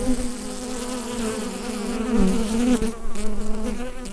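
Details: Bees inside a hive, recorded with a Rode NT-USB microphone: a steady, dense low drone with layered humming overtones. It swells slightly louder past the midpoint, with a brief soft knock near the end.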